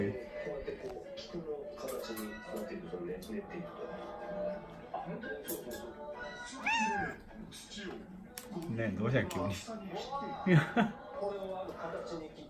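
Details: Indoor domestic cat calling for affection: several short arched meows, including a clear one near the middle and more later on, over continuous background music and occasional human voices.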